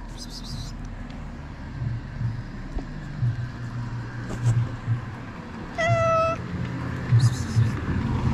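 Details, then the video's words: Hungry stray ginger cat in Morocco greeting its feeder: one short, bright, level meow midway through, over a steady low rumble of passing traffic and brief speech. "Hungry ginger cat was happy to see me again."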